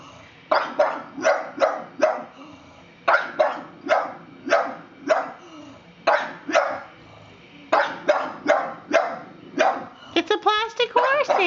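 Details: Pug confronting a plastic horse with rapid, repeated sharp barks in runs of three to five, over twenty in all, ending in a flurry of higher yelping sounds.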